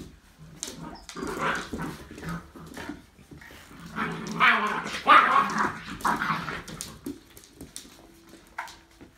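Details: Six- and eight-week-old Labrador Retriever puppies from the Labradorzucht vom Kloster Marienthal kennel, indoors: irregular short yelps and rough little barks in bursts, loudest midway, ending with a thin high whine.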